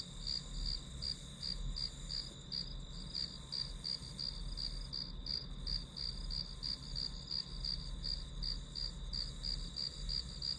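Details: Grass insects chirping as background for a one-hour study session: a high, steady pulsed trill repeating about three times a second, with a continuous hum and low rumble beneath.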